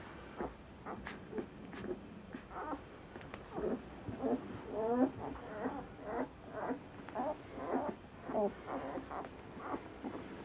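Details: Litter of five Asian Bear Dog puppies, F1 Tibetan Mastiff and American Akita hybrids, two males and three females, ten days old; irregular overlapping short squeaks, whines and grunts, several per second, with soft rustling.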